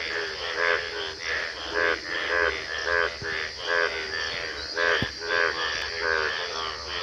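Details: Frogs in Gobari, Pratapgarh, India call in short, rattling 'trr trr' bursts with a buzzy, pulsed quality, repeating roughly every half second to second. Several voices seem to overlap into a loose chorus over a faint background hiss.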